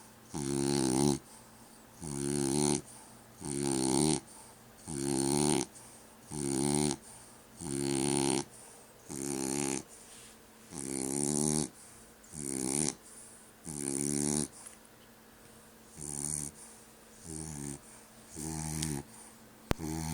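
A French Bulldog snores loudly, with harsh rattling breaths repeated about every one and a half seconds.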